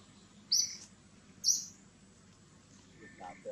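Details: Baby monkey Gigi crying out to its mother Gladdis with two piercing high squeals a second apart, followed by fainter lower sounds near the end.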